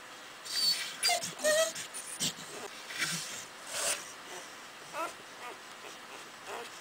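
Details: Cardigan Welsh Corgi puppies four days old, litter born January 25th 2011, giving faint scattered squeaks and short whines over soft rustling and handling noise.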